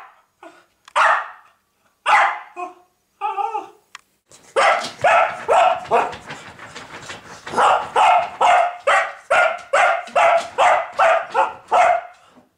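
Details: A pet dog, still going after an hour of barking at a pig; a few spaced, separate barks open, then a rapid, steady volley of loud, rough barks runs to the end.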